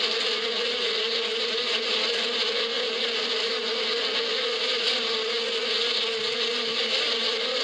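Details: Bees humming in spring in the desert steppe, a dense motor-like buzz that stays level and unbroken, with a steady low note under bright whirring overtones.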